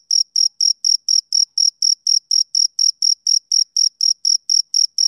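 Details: Rhythmic male cricket chirps of a summer evening: bright, piercing pulses, close to four per second, even in loudness and timing, with no competing sounds.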